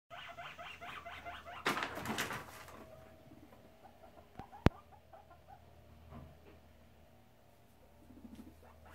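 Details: Two guinea pig boars, Shep and Chunk, disagreeing while checking out the sows' cage; rapid pulsed chatter in quick runs, a loud rustling burst near the two-second mark and a sharp knock shortly after.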